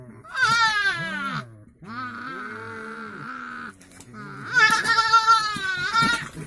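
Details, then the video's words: Caged male coypu communicating with females just after being let in with them: long harmonic moaning wails, rising and falling, three drawn-out calls with short pauses between, in a quiet indoor setting. "Нутрии. Самец общается с самками в клетке."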